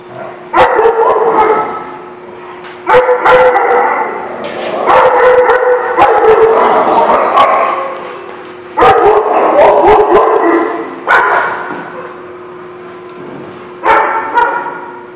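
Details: Several dogs barking together at a kennel on January 18, 2016, in dense bouts lasting two to three seconds, separated by brief lulls, with a constant background hum.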